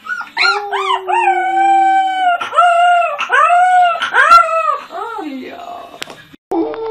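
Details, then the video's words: Puppy howling in a home compilation: sustained tonal howls with rich harmonics, some notes arching up and falling, several short yips between, voice fading near the end before a brief different sound cuts in. "Top 10 Cutest Puppies Howling Compilation"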